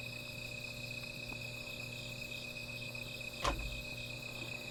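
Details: Insects calling at night beside a small fire: a steady, high shimmering drone with layered bands, over a faint low hum, broken by one sharp crackling pop near the end.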